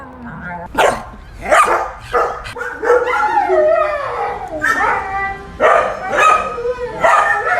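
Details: Dog vocalizing in drawn-out, wavering, voice-like whines and yowls that rise and fall in pitch, with short breaks between phrases and a few sharper yelps near the start.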